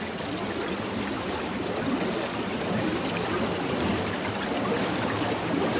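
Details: Humpback whales bubble-net feeding on prey such as krill: a steam-engine-like sound as a whale spins its bubble net, then a steady, churning burble of rising bubbles.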